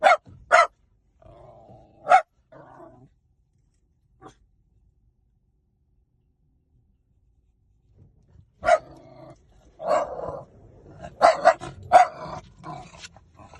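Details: Quick dog barks and a short whining note open the clip, followed by several seconds of near silence. Then comes a lively burst of repeated barks mixed with higher yelping sounds.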